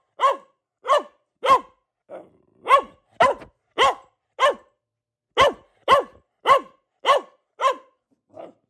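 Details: Pet female Boxer giving a steady series of loud, clipped barks roughly every half second, each bark a short harmonic bark with a slight downward bend, with a few quieter grunting sounds in the gaps.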